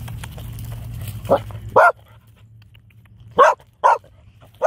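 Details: An applehead Chihuahua socialising with a French Bulldog at a dog park gives sharp, high, yappy barks in separate bursts, with a low hum behind.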